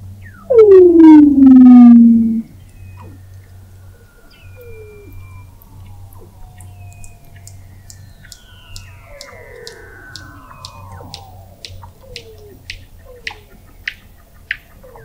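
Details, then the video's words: Weddell seal vocalizations captured in November 2017 at the McMurdo Oceanographic Observatory below Antarctic sea ice: a loud, strongly harmonic downward-sweeping wail lasting two seconds, then quieter falling chirps and a series of sharp clicks. "Song of the Antarctic Weddell Seal"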